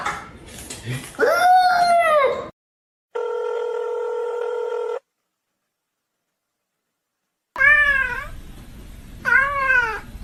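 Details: Kitten meowing indoors: three drawn-out, arching meows that rise then fall in pitch, the first longer, the last two short and close together, with a steady electronic beep tone between them and brief silence.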